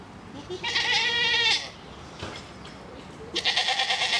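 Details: At a park in Basel, Grisons Striped goats give a drawn-out, quavering bleat lasting about a second, followed after a short gap by the start of another harsh bleat.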